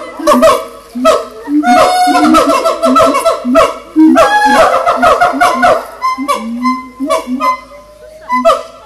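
Monkeys give loud, nasal, honking calls that overlap in a busy, uneven chorus.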